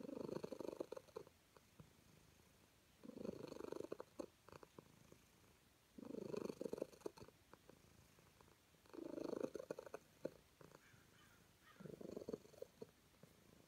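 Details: A calico cat enjoying being petted purrs in five regular rumbling bursts about every three seconds, each a second or so long, with faint clicking between breaths.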